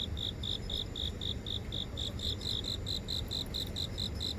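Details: Insect chorus in a house garden near an office in the heart of Seoul, phone recording: continuous evenly spaced chirps at a steady pace, a second singer joining faintly higher, over low city background hum.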